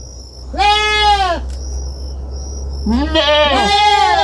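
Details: Kid goat on a farm gives one clear bleating cry, then after a pause a longer doubled bleat with overlapping wavering tones, set against a low continuous hum.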